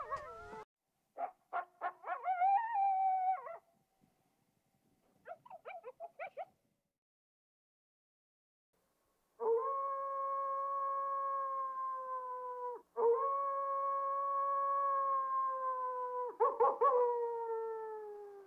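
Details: Coyote sounds: a few quick yips and short yelping bursts separated by silence, then long, steady, drawn-out howls of about three seconds each, slightly falling at the end, with a final quavering break.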